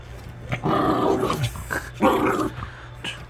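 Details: Puppy caught stealing socks growls in two rough, throaty bursts, each about half a second long, separated by a short pause, over a low steady hum.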